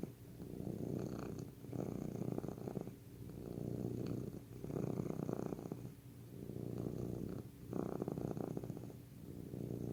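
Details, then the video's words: Cat purring in slow cycles, each deep throbbing rumble lasting about a second or two before a brief lull, repeating evenly through a quiet room. "Healing Sounds of Cat's Purr"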